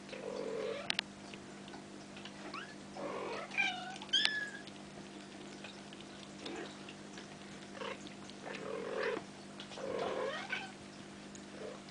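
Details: Bengal kittens almost five weeks old, offspring of Ariel and Dream, playing indoors; several thin, high meows with rising and falling harmonics around the third and fourth seconds, plus scattered softer mews, rustling and a steady low hum.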